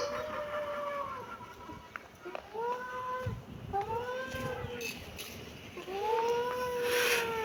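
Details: A kitten meowing repeatedly. Short arched meows come at uneven intervals and grow longer and louder, with a faint background hiss.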